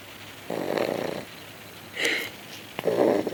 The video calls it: Cocker Spaniel Puppy Snoring